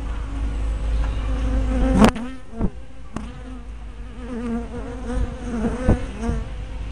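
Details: Honey bees buzzing at their hive entrance, 24 May 2012, recorded on a spy cam with a 180-degree fisheye lens; low continuous droning with quick wavering whines of bees flying past and a few sharp taps.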